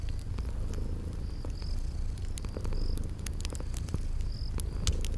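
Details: Continuous low, rumbling purr from sleeping kitties in a relaxing spring garden setting beside a fireplace, mixed with frequent crackles of burning wood and a string of thin, high insect chirps recurring through the background.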